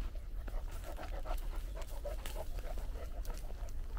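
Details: Great Dane panting on a walk from the forest to the beach at sunset; quick rhythmic breaths, roughly three per second, run steadily throughout, over a low rumbling of wind and footsteps with faint crunching ticks.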